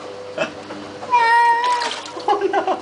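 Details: Pet cat crying while being given a flea bath indoors: a long, drawn-out wailing meow lasting nearly a second, steady then falling, with splashing and people talking over it.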